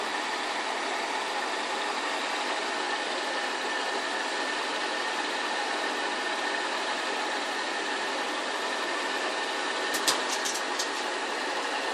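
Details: Steady broadband engine or fan hum with a constant tonal line, a few faint clicks near the end, and no dog sounds from the Pug and Boston Terrier mix.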